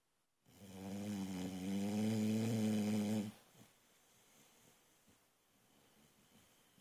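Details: Sleeping female Boxer puppy snoring loudly: one long droning inhaled snore lasting about three seconds, low and buzzy with a steady rasping pitch, followed by quiet breathing and faint rustling.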